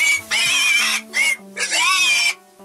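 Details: Four-month-old Vietnamese pot-bellied piglet being caught by hand to be weighed, at 15 kg, on a village farm in winter: loud, shrill, sustained squeals in three long bursts with brief pauses.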